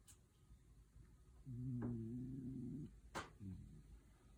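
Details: A contentedly sleeping dog lets out a single drawn-out snore, deep and buzzing with layered tones, followed by soft breaths and a couple of brief clicks in a quiet indoor room.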